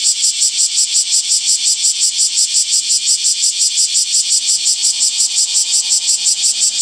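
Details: Summer cicada chorus: a loud, very regular pulsing buzz, the high whirring beats repeating about three times a second without pause across the whole stretch.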